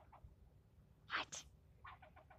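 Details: Squirrel yelling at a person for nearly ten minutes, seemingly offended; harsh, noisy barks, a short one, then two loud rasping bursts, followed by a quick run of four short chucks in a row, over a quiet background.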